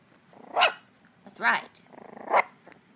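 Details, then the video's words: Miniature dachshund puppies, one of three learning to bark and growl, give three short harmonic yaps about a second apart, each with a soft growl between, while a woman talks to them indoors. "Mini Dachshund Puppies Trying To Bark - Mini Dachshund Barking - Dachshund Dog Barking puppy"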